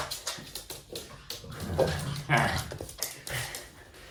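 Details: Red Toy Poodle indoors, playing with its owner and making playful noises: short whimpers and grumbles, then a brief tonal whine in the middle, with soft thumps, rustling handling sounds and some human voice in the background.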